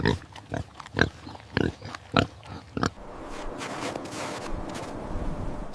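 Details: A medium black farm pig gives a quick run of short, rough grunts, about two each second, for three seconds; a steady hiss of background noise follows.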